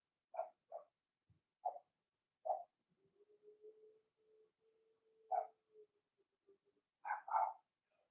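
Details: Blenheim Cavalier King Charles Spaniel puppies from a litter of six, two girls and four boys, born March 7th to 8th, in an indoor puppy pen. Short high yips and squeaky barks come in a loose series, then a thin drawn-out whine, ending with two louder yelps.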